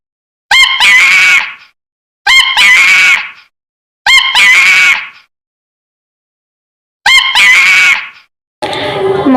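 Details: Monkey giving a loud alarm call that warns of danger such as an approaching predator, an adaptation for survival in dense forest; four harsh, screeching calls with a sharp rising onset, spaced irregularly, followed by a voice at the end.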